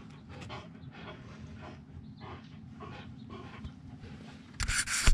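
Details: Dogs Storm and Glacier roughhousing in freshly raked leaves on an autumn day; steady rhythmic panting with soft rustling of leaves underneath, ending in a loud burst of crunching leaves.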